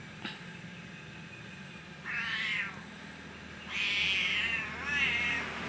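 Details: Domestic cat answering while being called by its name, "Piu", in Berau, Indonesia: three soft, high, arched meows in short bursts with a quiet background.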